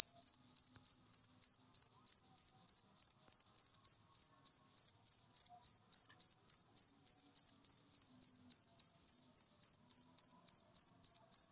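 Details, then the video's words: Cricket in a masteran track meant to make cage birds sing more often. A clean, unbroken series of piercing high chirps, each a short pulsed burst, repeated about three to four times a second with no other sound. "Masteran Jangkrik Ini Bikin Burung Peliharaan Anda Gacor"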